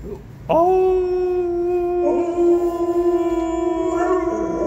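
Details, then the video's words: Pet dog Kani howling at home: after a short low sound, one sustained, steady, rich-toned howl held for about four seconds with slight wavering and a lift near the end. "카니의 하울링~아우~"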